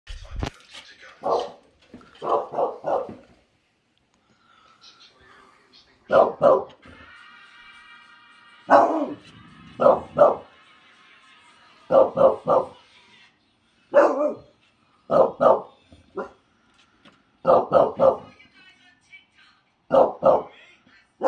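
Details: Two English Bulldogs bark in gruff, chesty bursts, often doubled or tripled, with pauses between, disturbing the neighbours.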